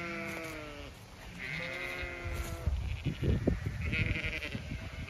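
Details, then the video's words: Zwartbles ewes on a regenerative farm in County Kilkenny, Ireland, bleating as they expect to be fed while their field is checked; several overlapping wavering harmonic bleats in the first half, then footsteps and rustling grass. "Ewes all very chatty as I check their field for when I next move them"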